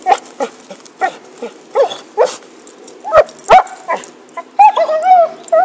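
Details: Happy the dog with a stick, 2012: a string of short, clipped barks and yips, then drawn-out, bending whimpers toward the end.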